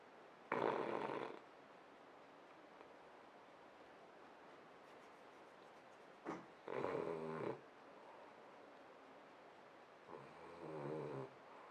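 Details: Sleeping French Bulldog producing short, uneven snorting snores, three bursts at irregular intervals, the later ones weaker and more broken, in a quiet room.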